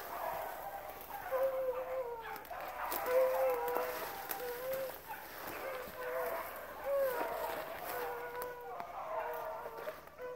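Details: Pack of rabbit-hunting dogs, pups among them, running rabbits at Relay Hunt club: overlapping tonal bays and yelps rise and fall in steady waves throughout, with a man's voice and brush noise in the background.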